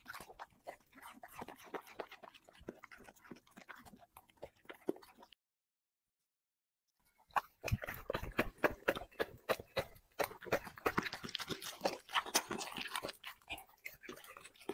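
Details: Dog working through five plates of chicken and vegetables: rapid crunching for about five seconds, then two seconds of silence, then louder, denser chewing and crisp bites to the end.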